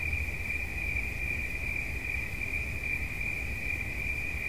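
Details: A cricket trills without a break at one high pitch, rapid pulses blurring into a steady ringing tone, with a low rumbling background. Presented as relaxing sound.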